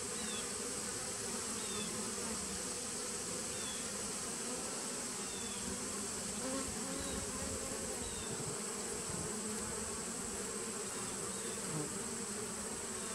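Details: Continuous droning hum of honey bees in a nuc established in 2017, captured 19 September 2018; the buzz stays level throughout, over a thin high tone, with scattered faint high chirps.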